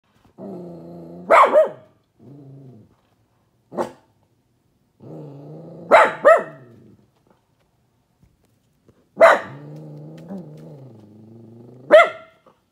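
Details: Pet dog, sad, barking out a window: long, steady, low whining tones broken by four sharp, loud barks spaced about three seconds apart, each bark trailing off into a wavering whine.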